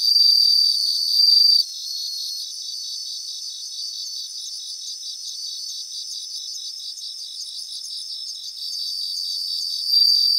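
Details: Several bell crickets sing together in Japanese grassland. A high, clear ringing tone breaks off and returns, over a dense bed of rapid, evenly spaced chirping pulses repeated about twice a second.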